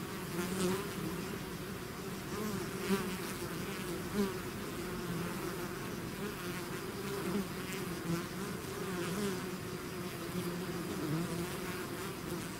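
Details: Bees swarming out of their hive make a continuous droning hum, stacked tones wavering slightly, with occasional louder fly-bys every few seconds.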